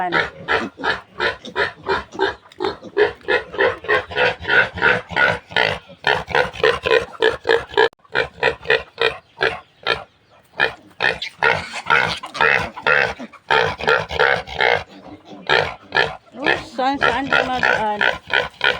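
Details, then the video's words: Piglets of a new sow being weaned keep up an almost unbroken stream of harsh, noisy squealing grunts, several each second, with short pauses; a brief human voice near the end. "Pagwawalay ko sa mga biik ng bagong inahing baboy"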